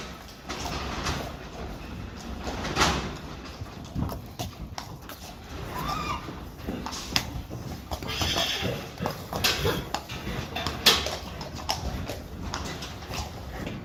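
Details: Friesian horse mares in a herd, reluctant to go outside; scattered whinnies rise above a busy background of hoof clops, knocks and movement, with a faint voice now and then.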